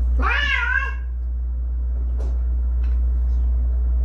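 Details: A weak rescued kitten, one of a pair of fading kittens found huddled together on the way home from a family funeral, gives a single short rising-then-falling meow over a steady low engine-like hum.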